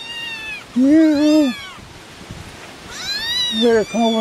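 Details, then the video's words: Three hungry farm kittens outdoors on a windy day give high, thin, short arched meows near their mother, mixed with a lower meow-like voice; a fourth kitten had become separated from the group. "sounds like your kittens are all hungry."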